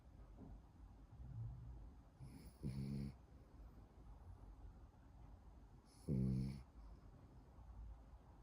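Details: French bulldog asleep and snoring, with two loud, gravelly snorts about three and a half seconds apart over soft, low breathing noise.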